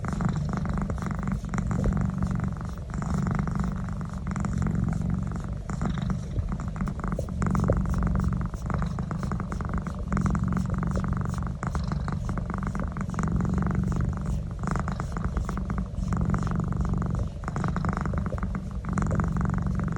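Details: House cat purring continuously as its neck is massaged, a deep vibrating rumble with a steady rhythm and short breath gaps, mixed with frequent rustling from the massage.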